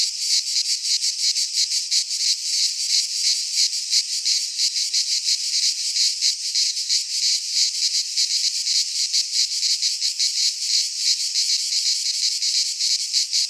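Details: Pine forest in Greece during midsummer, filled with cicadas; a long, intense, high-pitched buzzing chorus throbbing in fast pulses without a break for over thirteen seconds, alone on the recording.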